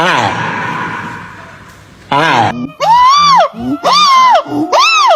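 A primate gives loud, arching wails that rise and fall, repeated about once a second.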